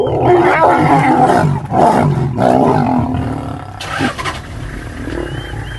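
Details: Lions of a six-male coalition sharing a hippo meal with the Paradise pride in Maasai Mara, March 2023, after dominant aggression: dense, loud, rasping roars and growls running together without pause.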